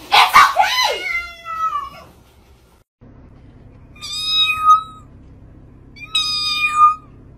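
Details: Angry domestic cat attacking its owner, indoors: a loud, harsh opening yowl with a strained start, then after a pause two drawn-out meows, each sliding downward at the end, spaced about two seconds apart.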